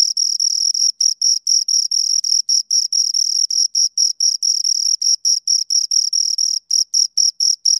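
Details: Two crickets keep up a piercing, high ringing trill split by brief pauses into chirps of uneven length, steady and loud, with nothing else audible.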